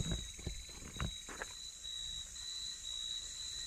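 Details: Crickets on a road at night after rain, in an area described as very creepy: a steady, high, unbroken insect drone runs throughout, with a few thumping footfalls and knocks in the first second and a half.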